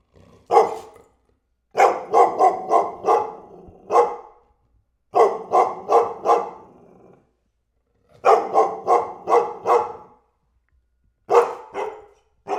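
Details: Barking dog, volleys of four to five quick barks spaced by silences of one to two seconds, the pattern repeating steadily.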